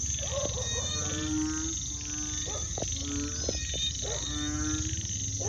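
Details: Frogs and toads calling at night in a village after sunset, countryside: a dense chorus of repeated croaks in short bursts, with constant high insect buzzing above.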